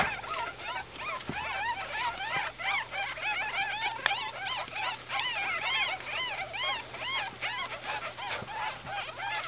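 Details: Baby ferret kits at two weeks old, a litter calling together: rapid, overlapping high arched squeaks that rise and fall, packed densely throughout, over a faint steady low hum.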